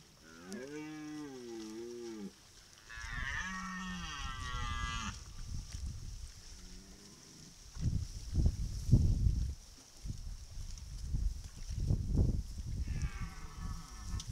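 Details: A herd of red deer hinds (Cervus elaphus) at a waterhole in Klepelshagen, Mecklenburg-Vorpommern, in September 2019, curious about a trail camera. They give nasal, wavering moo-like calls, one higher and reedier, with dull thuds between.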